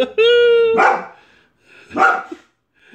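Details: Angry white female Boxer, wagging her tail while barking at a man cleaning a neighbour's gutters: a steady high whine lasting half a second breaks into a harsh bark, followed by one more bark about a second later.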